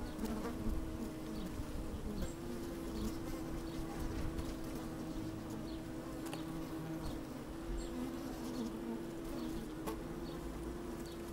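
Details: Honey bees busy at work in an open hive, recorded by a microphone placed down inside: a dense, constant low drone with a steady tonal hum and occasional louder buzzing swells and soft taps.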